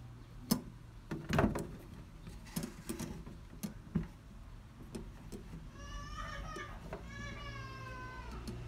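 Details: Norwegian Forest Cat, described as bothering delivery workers, gives two drawn-out harmonic meows near the end, the second wavering. Earlier, sharp knocks and thumps sound against a low indoor hum.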